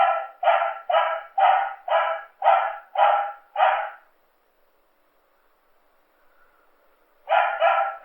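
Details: Dog barking steadily, eight loud, even barks about half a second apart, then a silent pause of three seconds before two more barks.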